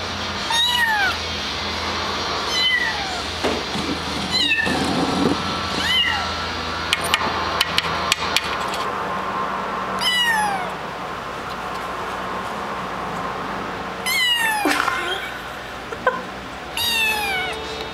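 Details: A male pet cat meowing over and over: about seven drawn-out, tonal meows with falling or arched pitch, spaced roughly every two seconds, against a steady low hum and some clattering noises.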